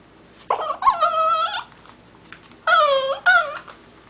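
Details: Young French Bulldog inside, watching a man on a neighbouring balcony through the window, gives a long warbling whine followed after a gap by two shorter, clear, tonal yowls with slight pitch wobble; background otherwise quiet.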